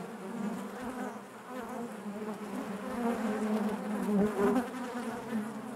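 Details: Inside a honey bee hive: a continuous layered hum of many bees, the tone wavering slightly and growing a little louder toward the end, no other sounds.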